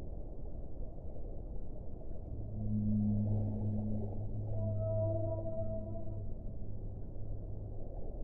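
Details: Whale singing in long, steady harmonic moans that layer low and higher tones between two and six seconds, with a higher whistle-like note near five seconds, above continuous deep water noise.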